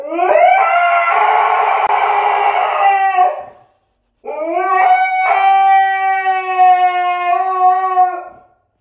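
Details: Siberian Husky putting on a howling drama when it hears its owner is leaving: two long sustained howls, the first harsher and noisier, the second clearer and steady in pitch, separated by a brief silence.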